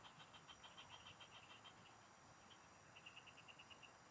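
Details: Frogs singing in the fields, recorded while fishing: rapid trains of short, high, evenly spaced pulses that fade after about a second, then start again. A steady high insect hum runs underneath, over a faint rural background.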